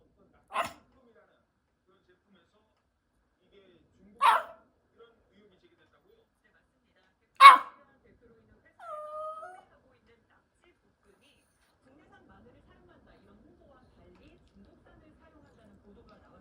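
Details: A 16-year-old senior dog named Han Haeri, kept at home, gives three sharp, short barks spaced about three to four seconds apart, then a brief thin, tonal whine; otherwise the room is quiet.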